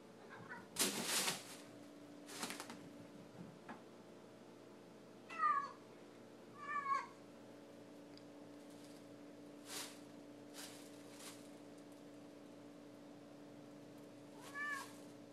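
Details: Pet cat excited by rustling shopping bags indoors; a few short, bent meows with bright overtones sound at intervals, mixed with sharp crinkling bursts of plastic bags and a steady low hum.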